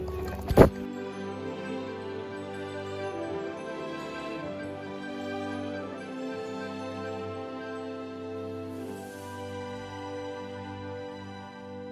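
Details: Soft, sustained new-age style music plays throughout after a single sharp knock near the start, with no animal sounds.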